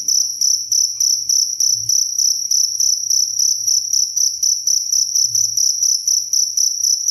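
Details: Steady cricket chirps, bright high-pitched pulses repeating rapidly and evenly with a higher overtone band, continuous throughout; faint low background hum beneath.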